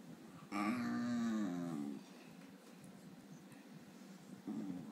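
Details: Tiggy, a male Basenji being woken from sleep, gives a drawn-out, wavering, low throaty grumble with a slight rise and fall, the breed's typical "wakes up bad" protest.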